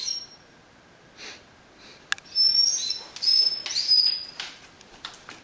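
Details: Excited by the smell of cooking ground beef, a male Rhodesian Ridgeback gives high, piping whines that waver and slide in pitch, strung together in a couple of longer bursts with faint clicks between.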